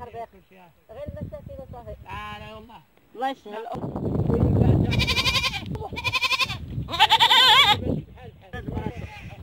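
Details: Goats calling with wavering, nasal bleats, several quieter at first, then two loud, harsh, strained bleats in the second half over a background of voices.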